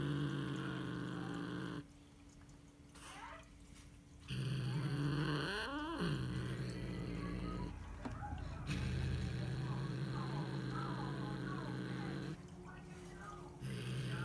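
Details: Female Siamese cat growling after catching a bird: long, low, rumbling growls in sustained stretches broken by short quiet pauses, with one brief rising-then-falling wail partway through.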